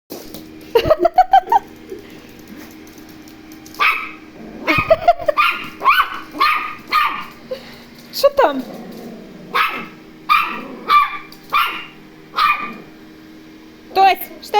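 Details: Toy Terrier meeting a robot vacuum cleaner indoors, yapping at it in a rapid series of high, sharp barks in bursts about once a second, with a person's voice telling it to shut up.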